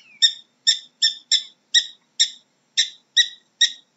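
A prairie dog gives a quick series of sharp, high, squeaky barks about twice a second.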